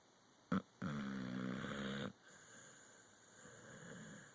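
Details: Pit bull Loki snoring in a dreaming sleep: a short sharp snort, then a sustained low buzzing snore for over a second, fading into faint, slow breathing.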